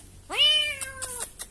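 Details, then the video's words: Frightened kitten discovered behind a door, crying: a single clear meow that leaps upward, then holds a steady slightly falling tone for under a second, with faint knocks and a quiet room behind it. "Found A Kitten Behind The Door Crying in Fear."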